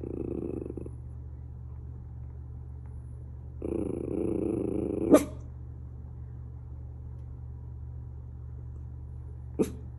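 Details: Miniature Schnauzer indoors, looking out and barking at things: a low, rough growl of about a second and a half ends in one sharp, explosive bark, and a second short bark comes several seconds later over a steady hum.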